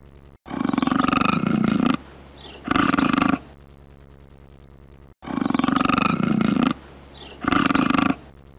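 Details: Cougar giving harsh, throbbing roars in pairs, a long rasping growl followed by a shorter one, the whole pattern repeated twice with quiet gaps between.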